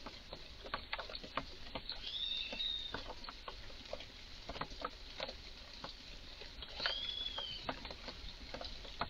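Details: Garden red squirrel, highly agitated, making strange noises: dense sharp clicking chatter throughout, broken twice by a higher arching whistled squeal that rises and falls.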